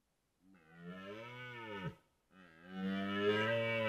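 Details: Red deer roaring during the 2023 rut on a morning in Białowieża Forest: two deep, harmonic, drawn-out roars, the first swelling then bending down and breaking off, a brief pause, then a louder, steadier second roar.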